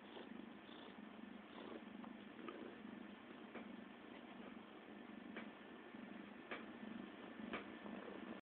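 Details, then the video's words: CeeCee the cat purring in a soft, continuous rumble with a breathing rhythm, broken by a few faint clicks and light handling noises near the end. "CeeCee the Purrrrr Ball"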